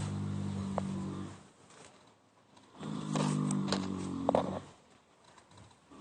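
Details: Yaskrava, a mare, snoring while asleep: two long, low, droning snores with a harmonic buzz, each lasting over a second, separated by a quiet pause, with faint rustling in between.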